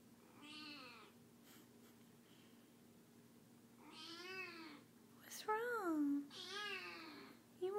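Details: Sick kitten, now feeling better, crying indoors to be held; four wailing, bending meows, the later ones rising then sliding down in quick succession, with a person's voice near the end.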